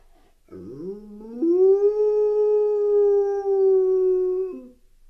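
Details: Titus, a pet dog left home alone at night for a few hours, caught on a home security camera howling: a sliding start that climbs into one long, steady, tonal howl held for about three seconds before breaking off.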